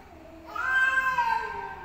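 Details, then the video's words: Fighting cats: a single loud, sustained, harsh yowl that swells quickly and holds steady with a slight wobble before trailing off. "Cats Fight Compilation Meowing Fighting"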